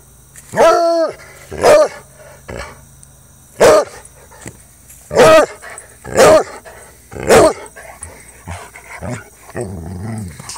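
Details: Jax, an almost four-year-old Treeing Walker Coonhound playing, gives loud, drawn-out baying barks, each one ringing and rich, at irregular intervals.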